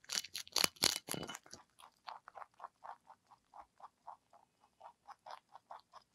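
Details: Pet rabbit ZZ, a lionhead crossed with Dutch, bites into celery with a loud, crisp snapping crunch, then settles into steady, moist chewing pulses about four per second.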